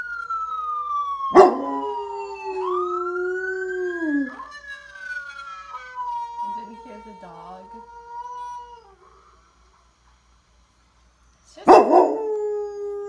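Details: A dog howls along with an ambulance siren, its low drawn-out tone sliding downward under the siren's rising and falling wail; a brief silence, then a loud burst near the end.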